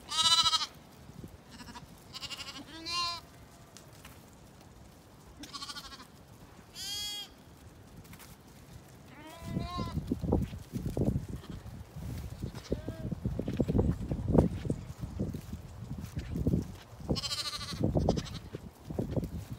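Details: Zwartbles ewes and lambs in County Kilkenny, Ireland, moved at evening to their field and meal: a run of quavering bleats in the first seconds, then hoof and rustling noise with a few more bleats near the end.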